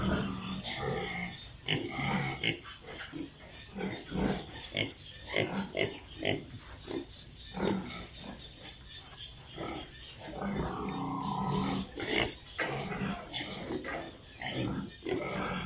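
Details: Piglets on a pig farm, many animals together: short grunts and snorts in uneven bursts, some longer squealing calls near the middle, with a steady farm hum underneath.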